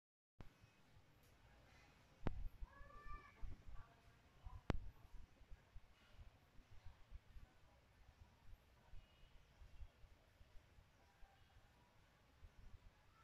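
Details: Homeless cats living around people's homes with too little food: a brief run of short, arched meows near the start, then quiet, with sharp knocks, scattered clicks and a low rumbling background.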